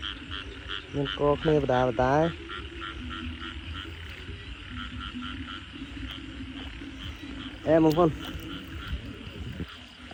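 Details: Frogs calling at night after heavy rain during a frog hunt: two bursts of loud, deep, rapidly pulsed croaks that rise in pitch, early and near the end, over a continuous chorus of softer repeated notes. A man's voice is also heard.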